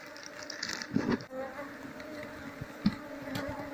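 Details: Colony of Asian honey bees (Apis cerana) left to settle in a hive box during transfer after the queen is caught. A continuous low buzzing drone with layered harmonic bands, with sharp taps and rustling from handling.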